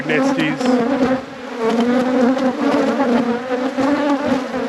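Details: Loud, dense buzzing from a honey bee hive being opened in an apiary: a strong, wavering drone with a prominent low tone and overtone, slightly pulsing in loudness, filling the whole clip without other sounds.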